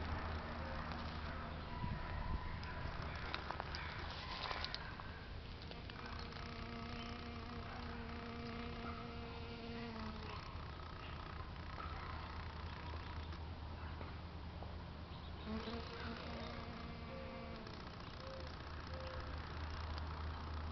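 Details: European honey bees working flowers in sunny San Diego, California, USA; several droning buzzes with clear overtones come and go, one lasting several seconds early on and another shorter pass later, over a persistent low rumble.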